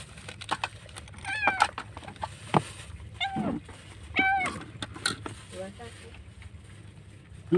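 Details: Lone kitten found by a roadside, crying very loudly, apparently left behind by its mother or abandoned during a rescue; two clear, high, bent meows with stacked overtones, amid a person's speech, handling clicks and rustling.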